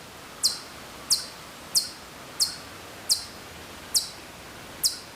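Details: Distant Hokkaido chipmunk in Maruyama, Sapporo, Hokkaido, September 2014: a series of seven bright, very high, abrupt chirps, evenly spaced, over a low steady hiss.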